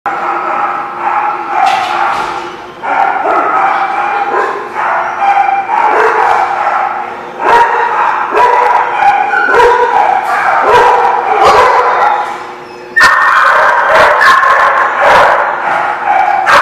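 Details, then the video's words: Many dogs barking together in a noisy chorus at a kennel lot, overlapping loud yips and bow-wows with frequent sharp bursts and no pause across the whole stretch. "The Barking Lot"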